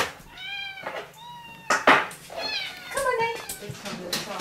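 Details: Rescue cats at Dove Cat Rescue sanctuary awaiting new homes: several clear, drawn-out meows with bright harmonics, one short one, then a wavering falling meow, with a person talking softly in a small room.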